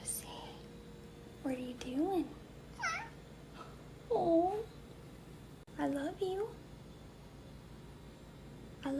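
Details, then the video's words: Lazy cats and kittens yawning, giving soft, drawn meow-like yawns that rise and fall, about five in nine seconds, in a quiet indoor room. "Lazy cats kittens yawning"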